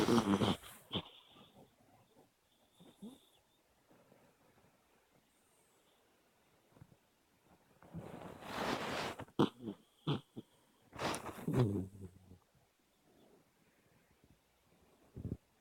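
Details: Dreaming dog with open eyes, making snorty, pig-like snores in scattered bursts: one at the start, then louder rough breaths near the middle and again a few seconds later, with long quiet stretches between.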